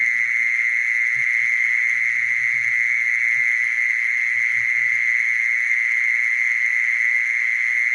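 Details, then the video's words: Mole cricket: a steady, unbroken high-pitched trill that holds one even tone with bright overtones the whole way through, while faint low thumps and murmurs sit quietly in the background. "Mole cricket sound"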